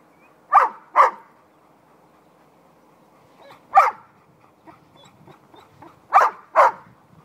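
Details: Several playful puppy yaps in pairs, then a lone bark, then another pair, spread over about seven seconds, with quiet whimpers and scuffling between the bursts.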